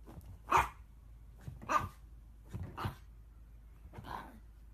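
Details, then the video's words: Chihuahua, a small dog breed, giving four sharp, high yapping barks spaced roughly a second apart; the final bark is softer, against a quiet background. "Chihuahua Barking"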